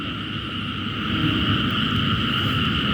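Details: A dense mixed chorus of frogs and narrow-mouthed toads calls steadily around 3–4 a.m., just after rain, in an urban area beside natural canals; many voices blend into a continuous drone.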